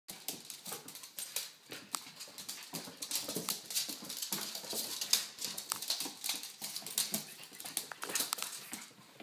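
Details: Pugs playing with and watching over a baby: rapid, irregular breathy bursts of panting and snuffling run throughout, hissy and without clear voiced tones.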